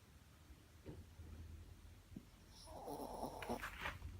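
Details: Shih Tzu snoring softly: low, rumbling breaths pulse at the start, then grow into louder, wheezy snorts with raspy higher tones in the second half.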